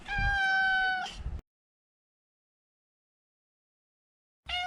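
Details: A male neutered Maine Coon gives a loud, flat meow lasting about a second, followed after a pause by the start of another similar meow, with light thumps underneath.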